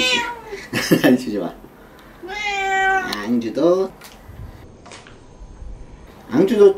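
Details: Domestic cat meowing while having its claws trimmed: short, nasal meows, one held for nearly a second with a slight fall at the end, scattered between bursts of a person talking and handling noises.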